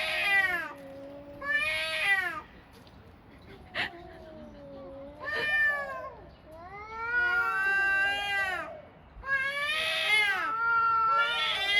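Two cats trade drawn-out, wavering meows, one pitch sliding over another in overlapping bursts.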